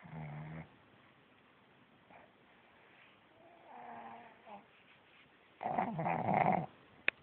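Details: A pug lying in bed, awake with eyes open, gives a few low, rattling snores to avoid getting up, each a short grating burst drawn on a breath, with quiet gaps between them; the last snort comes louder and harsher.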